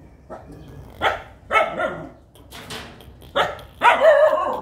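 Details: Young puppies playing together yap in bright, high, short barks, about five in under five seconds, the last ones louder and more drawn out, indoors.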